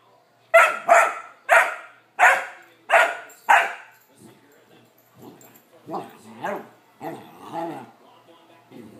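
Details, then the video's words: Young male Vizsla, 14 weeks old, left without attention and bored: six loud, rapid barks in quick succession, then quieter, lower grumbling yips and whines trailing off toward the end. "When my vizsla puppy gets bored!"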